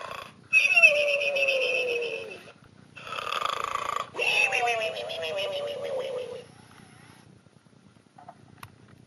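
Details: A sleeping pig, a birthday gift, snores in three raspy breaths with whistly, falling squeaks that fade into near silence for the final few seconds.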